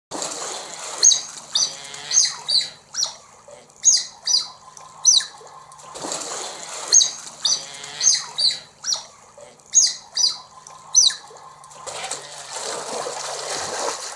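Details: Large smooth-coated otters at Colchester Zoo, England, greeting with high, squeaky chirps in quick bursts, a pattern that returns roughly every six seconds, with a fainter lower whine beneath.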